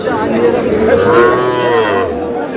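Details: Young bull calves at a cattle market in Kushtia, Bangladesh, on 23 June; one drawn-out, harmonic-rich moo rises and falls mid-clip beneath constant crowd chatter and bargaining voices.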